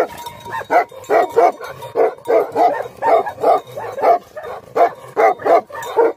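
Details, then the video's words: Several angry Tibetan Mastiffs (Bhote Kukur) keep up a steady run of loud, harsh barks, roughly two or three each second, with hardly any pause. "Angry dogs barking effect sound ||Tibetan Mastiff || Bhote Kukur"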